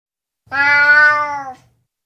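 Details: Burmese cat giving a single clear meow, a drawn-out tonal call about one second long with a rich stack of harmonics, steady in pitch then slightly falling at the end, in a quiet setting.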